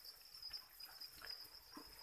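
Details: Crickets reared on a farm with chick starter feed make a constant shrill trill that never pauses, overlaid by a few low soft knocks and rustles.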